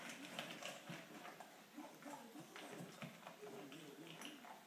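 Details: Indoors, a Standard Poodle gulps down its meal, a cup and a half of food in just over two minutes; steady, fast crunching and tapping chews, several per second, in a small room.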